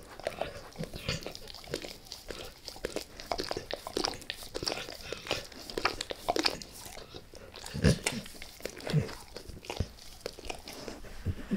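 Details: A beef rib being eaten by Max the dog: dense run of crunching bites and gnawing, with heavier thumping chomps near eight and nine seconds.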